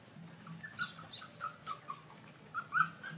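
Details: Suckling baby puppies feeding from their mother dog let out thin, brief squeaky whimpers in quick succession, a few louder peeps near the end, over a low steady hum.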